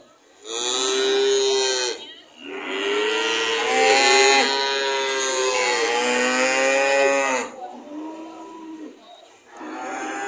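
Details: Cattle mooing loudly: a long series of harmonic moos, one short, then an extended wavering bellow lasting several seconds, followed by shorter calls, with faint traffic-like noise beneath.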